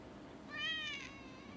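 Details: Domestic cats suddenly fighting with onlookers nearby, recorded 16 December 2020; a single clear, harmonic meow that rises then falls, lasting about half a second, over low steady background hum.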